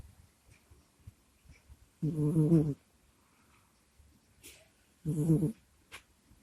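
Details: ['Domestic cat Kusya groans and snuffles in her sleep near a microphone. Two throaty, vibrating low snores about three seconds apart, with faint clicks and a soft sniff between them.']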